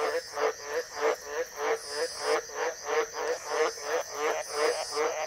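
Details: A White's tree frog calling in the wild in northern Queensland during the wet season gives a steady run of deep, harsh croaks, about three each second.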